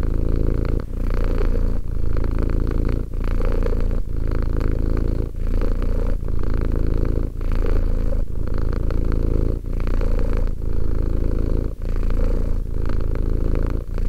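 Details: Two-year-old domestic cat named Romek purring steadily, a deep continuous rumble broken by brief pauses for breath roughly every second, each phrase swelling and fading in a slow regular cycle.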